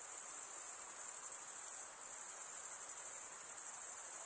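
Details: High continuous chirring of crickets at night in a summer forest, finely pulsed and steady, dipping briefly near two seconds before resuming; faint hiss in the background.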